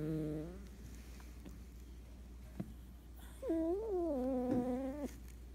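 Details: Cat asleep, giving a short wavering snore at the start, then quiet breathing and a faint click, followed by one longer, rising-then-level tonal snore over a low steady hum.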